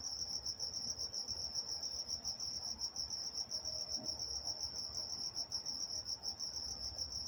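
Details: Crickets at night in Walnut, California, trilling in a steady high-pitched pulsing drone, with chirp pulses blending into a continuous chorus and a few faint low background sounds.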